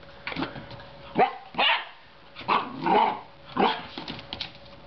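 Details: Groenendael puppy Leo playing in his new home: five loud, uneven barks and growly yaps spaced roughly a second apart, with a faint steady hum underneath.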